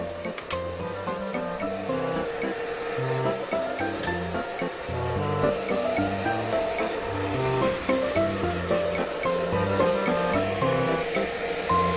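Steady background music with sustained notes and a low rhythmic pulse; no clear animal voice.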